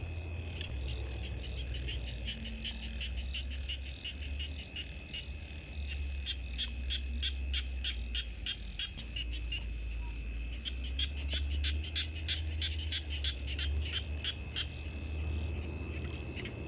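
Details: Frogs calling at night, a steady chorus of rapid clicking croaks repeated about three times per second, with a constant high insect-like drone and low rumbling background noise.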